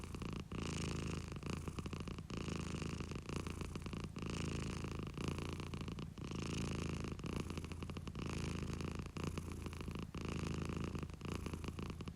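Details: Pet cat purring contentedly, a rough, throbbing low rumble broken into rhythmic breathing phases, recorded very close with nothing else audible.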